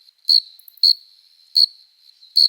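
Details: A summer cricket sings at night, an adult male rubbing its forewings to court a female: four piercing high chirps at uneven intervals over a thin, steady background trill.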